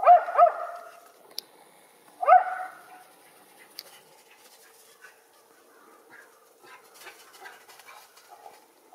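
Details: Young Schipperke outdoors in backyard snow, with a second dog and deer present: a quick double bark opens, a lone sharp bark follows about two seconds later, then only faint rustling.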